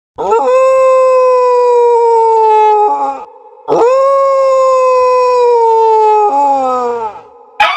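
Two sustained dog howls fill the recording, each held for about three seconds at a steady pitch that sags gently. Each ends with a lower, wavering tail before a short pause.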